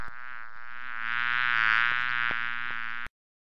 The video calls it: Bee bee buzzing sound